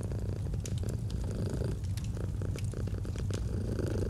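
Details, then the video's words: Close rumbling purr from a domestic cat, a dense low drone pulsing with breathing, accompanied by frequent sharp snaps and pops of a burning fireplace on a cozy autumn evening. "Purring of a Cat"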